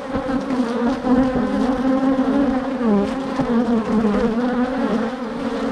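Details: A dense swarm of angry bees mobs a GoPro camera. Their continuous, loud, humming buzz rises and dips slightly as many insects circle close to the lens.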